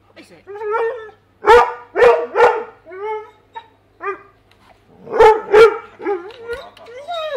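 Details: A Weimaraner indoors, trying to reach fish in a tank it cannot get to, gives high, wavering whines broken by sharp, clipped barks.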